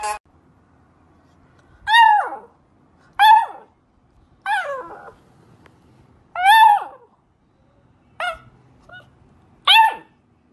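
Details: Puppy finding its voice: short, sharp yelping barks, about six in ten seconds at uneven intervals, each a quick rising-and-falling burst with quiet gaps between.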